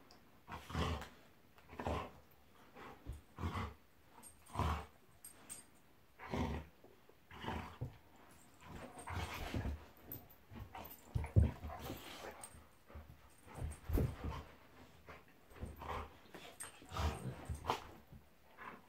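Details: Golden Retriever Monty play fighting at home with Eric, a Labrador; a steady run of low rumbling growls and grumbles, pulsing roughly every second, mixed with panting, scuffles and mouthing noises.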